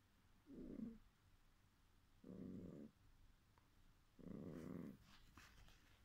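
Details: Dreaming cat, asleep, gives three drawn-out, low, rumbling murmurs of about half a second each, roughly every two seconds, with quiet pauses and light rustling between them.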